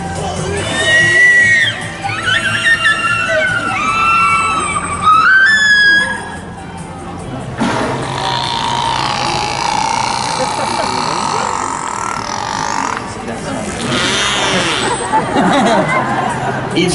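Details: A captive killer whale at SeaWorld San Diego gives squeaky, sliding whistles and wavering calls through its blowhole during a show, with crowd noise behind.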